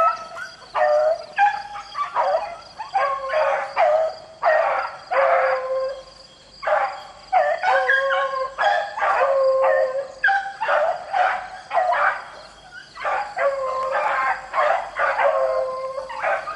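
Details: A pack of beagles rabbit hunting in the rain, baying continuously: choppy, ringing bawls and chop-mouthed yelps from several dogs tumbling over one another, with steady rain in the background.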